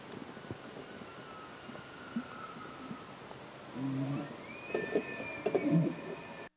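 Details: Bull elk during the mating season giving a faint whistled tone early on. A louder, rising whistle then levels off high and is mixed with short grunts and barks near the end, over a soft background hiss.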